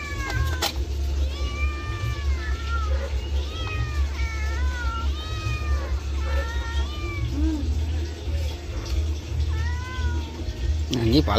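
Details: Afternoon bath of a pet cat, which lets out about eight arched, complaining meows, each rising then falling, spaced a second or two apart over a constant low hum and occasional splashing clatter.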